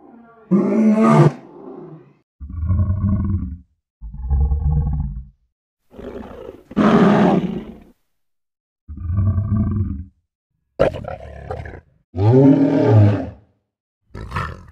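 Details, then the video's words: Lion: a series of separate vocalizations roughly every one to two seconds. Deep, droning, tonal moans alternate with harsh, breathy roars and a rising and falling wavering roar near the end. There are clean silent gaps between the sounds. "FUNNY LION SOUNDS"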